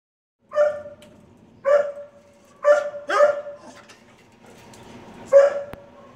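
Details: Two dogs in the stray area of an animal shelter in Texarkana, Arkansas, a red and white dachshund and a tan and white basset mix: five ringing, howl-tinged barks spaced about a second apart, with faint kennel noise.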